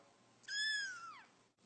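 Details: A domestic cat gives a single clear, drawn-out meow that holds steady, then slides downward at the end; otherwise near silence.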